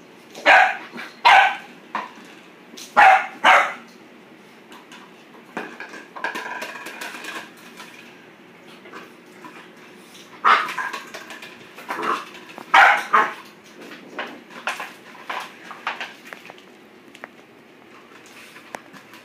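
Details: Boxer puppy barking at a plastic bottle, a long run of sharp barks in irregular bursts, several doubled in quick pairs, with softer yips and rustling in the gaps.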